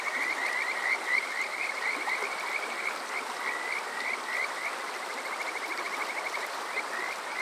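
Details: Kajika frogs at night in summer, Water Park Shirayama, Yokoze, Chichibu District, Saitama, Japan, captured on a TASCAM DR-05X: bright, bird-like upward-sliding notes in rapid trilled series, several callers overlapping, with soft running water behind.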